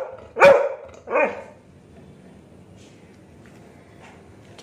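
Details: ['Aggressive Labrador on a street barks twice in quick succession, the second bark shorter and weaker, followed by a low background hum and faint distant noise.']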